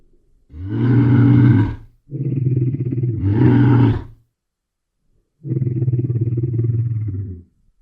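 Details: A bear gives deep, rumbling roars in three long bursts with short gaps between them. Each burst is rough, loud and low-pitched and lasts about one to two seconds. No other sounds are heard.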